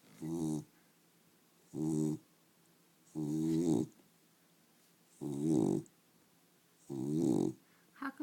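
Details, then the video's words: A female pet dog snoring while awake, described as quiet for her: five raspy, harmonic snorts, each about half a second long, repeated roughly every one and a half seconds with silence between. "Dog snoring"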